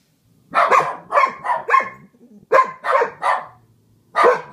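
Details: Pair of pet dogs howling together in a duet, one soloing intensely, the other harmonizing; quick bursts of seven or eight strained, yelping howls in two groups, with a brief pause between them.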